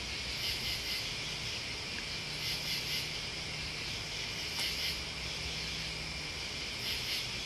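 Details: Crickets and other bugs in a dense, steady high-pitched buzzing chorus, with louder pulsing chirp bursts swelling about every two seconds over a faint low rumble.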